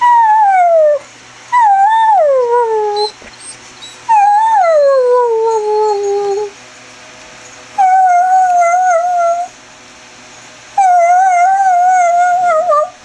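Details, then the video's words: A pet greyhound indoors gives its roo and whine combo: five drawn-out howls, each swooping down or wavering, separated by short quiet gaps, steady and loud. "greyhound noise!"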